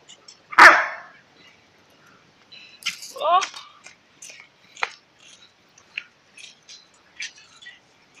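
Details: Pet Alaskan Malamute with one loud, abrupt bark near the start, followed by softer scattered vocal sounds and brief voices in the background.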